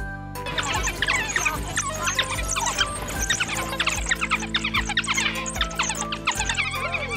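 A pack of African wild dogs gives a busy, bird-like twittering of high squeaks and short chirps, many voices overlapping. A steady musical drone runs underneath throughout.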